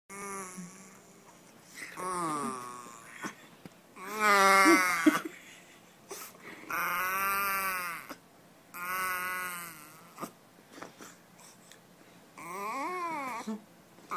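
A corgi puppy gives a run of drawn-out, wavering whines and little howls, each about a second long.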